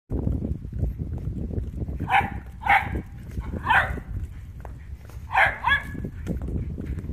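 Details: Blue merle Shetland Sheepdog barking. There are five sharp, harmonic barks, the first two about half a second apart, then one alone and a final quick pair. A steady low rumbling noise runs underneath.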